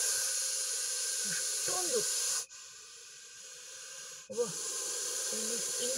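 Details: Russell's viper, agitated after a dachshund's attack, gives loud breathy hisses as it exhales and inhales, its stomach swelling; two long hisses around a short pause, with a man speaking throughout.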